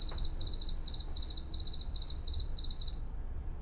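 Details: House cricket song played back during a seminar for comparison with the wood cricket, whose frequency it overlaps: short high chirps of three or four quick pulses, grouped and repeated steadily, over low room hum.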